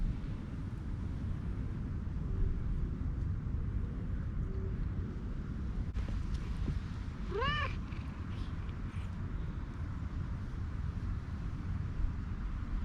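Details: Orange-and-white cat with a cute voice gives one short, clear meow about halfway through, its tone arching up and falling away, over a constant low wind-like rumble with long quiet stretches on either side.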